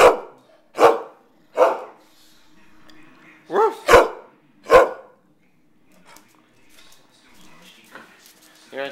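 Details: Household dog barking while its owner asks what it wants and offers a treat: six loud, sharp barks in an uneven series over five seconds, then quieter shuffling noises.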